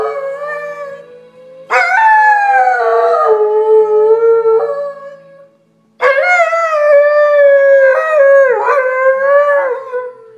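A dog gives two long, wavering howls, each sliding slowly downward in pitch.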